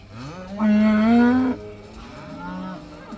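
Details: A cow let outside for the first time gives one loud, steady moo lasting about a second, followed by a quieter, shorter moo from another animal in the herd.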